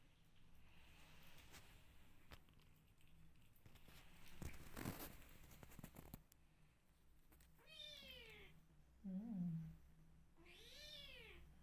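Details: Meows from rescue kittens in a quiet room, with rustling and shuffling noise first, then an arched meow, a short low squeak and a final high, drawn-out meow.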